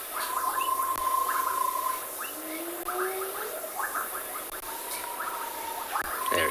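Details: Two hyenas, tails erect, coming down a slope at sunset in sideways blowing rain near a flooded dam inflow in Tswalu Kalahari Reserve, South Africa, in January, give low, rising, drawn-out calls, keeping in touch with their clan.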